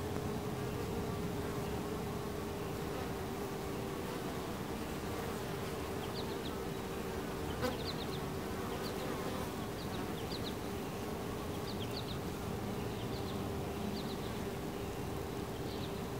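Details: Steady buzzing of many honey bees at a hive entrance, a firm mid-low hum throughout, with faint, short high chirps repeating in the second half and one brief click near the middle.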